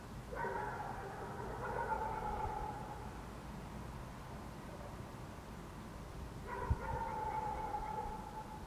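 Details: Dogs barking in the city of Helsinki, Finland, in June 2014, under a waning gibbous Moon: two drawn-out, harmonic bark bursts about six seconds apart, each lasting close to two seconds, over a steady low urban rumble.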